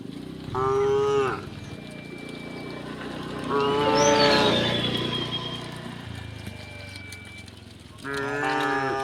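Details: Tame cows mooing while being herded across a wooden bridge to green fields in the countryside: three long, harmonic, steady moos near the start, middle and end, with a thin whistle-like tone and birdsong faintly between them.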